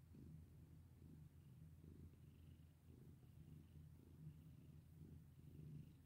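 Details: Low rumbling purr from a cat being petted, continuous and even, swelling gently with inhalations and exhalations about every second, faint high hiss in the background.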